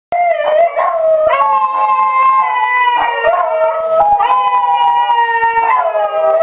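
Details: Several pet dogs, including a hound named Nemo, howl together during the monthly first-Tuesday tornado siren test. Overlapping long wavering howls slide up and down, with a steady siren tone held underneath throughout.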